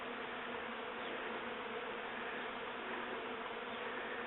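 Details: A dense, steady roar of countless western honey bees buzzing together as a colony swarms from a top bar hive in rural North Devon, near the Atlantic coast.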